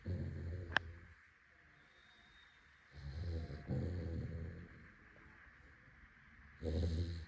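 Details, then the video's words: Bruno the Labrador Retriever asleep and snoring loudly. Three deep, gravelly snores with hissing breath rise and fade over several seconds, separated by quiet pauses. A single sharp click sounds early on. "is snoring 💤 out loud while sleeping 😴 | Labrador | Dog Snoring"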